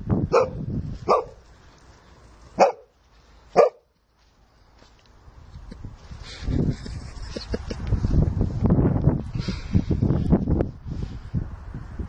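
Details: Shelly, a female Sussex Spaniel, barks while at play with her owners and another dog, Monty: four sharp, evenly spaced barks in the first four seconds, then a rustling, scuffling background of movement and low noise.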